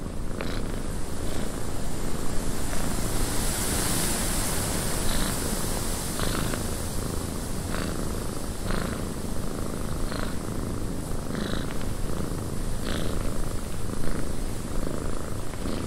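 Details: Deep rhythmic purr of a cat in a windy cabin, the rumble rising and falling with each breath about once a second, beneath a steady wash of wind.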